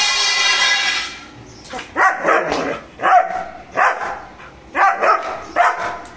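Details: Mr. Bro, a German Shepherd, barking aggressively while guarding: after a loud noisy opening second, five harsh barks follow at roughly one-second intervals, each a broad burst with a strong tonal core.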